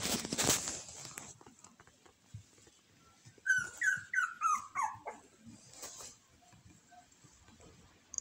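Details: The smallest of three Shiba Inu puppy siblings gives a brief run of about six quick, falling whimpers mid-recording. Rustling and handling noises fill the quieter stretches before and after.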